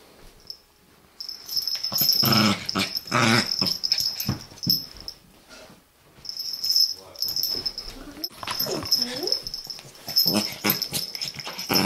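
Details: Chihuahua puppy fighting with another Chihuahua: bursts of rough, raspy snarling and growling between two and four seconds, then squeaky, wavering whines near nine seconds, over a steady thin high-pitched electronic tone.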